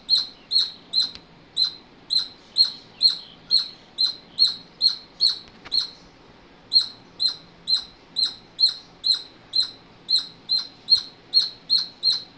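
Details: Rhythmic high-pitched chirping from a squirrel, a little over two notes per second, with a short pause midway before the series picks up again at the same pace.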